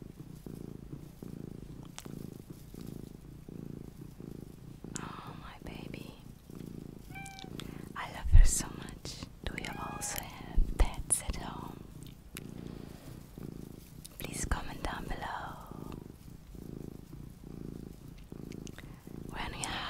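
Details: Small pet cat purring in a continuous low rhythmic rumble, overlaid by soft whispered speech, a few taps and handling noises in a small room.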